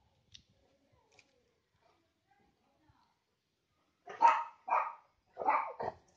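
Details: Neighbourhood dogs meet over a fence: a Labrador and Rottweiler with a Beagle and Lhasa Apso. Near silence with faint clicks, then three loud, rough barks in quick succession.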